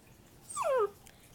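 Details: Playful pet puppy lets out one brief, high whimpering yelp that slides steeply downward in pitch over about half a second, clear and tonal, with a quiet room behind it.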